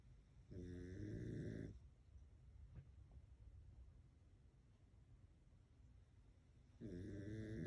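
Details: Pekingese dog asleep, snoring loudly indoors: two long rasping snores with stacked harmonics, each about a second long, separated by a quiet breathing pause of roughly five seconds.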